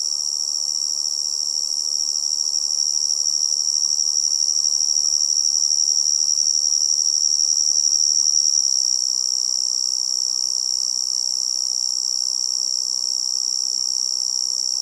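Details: A tree cricket in a forest setting keeps up a continuous shrill, high-pitched ringing trill with no pauses, level and even throughout, accompanied by a faint low rushing noise underneath.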